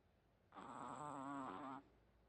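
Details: Sleeping Chihuahua snoring with a pig-like snore: one drawn-out nasal tone lasting over a second, its stacked harmonics quavering steadily before it stops abruptly, in a quiet room.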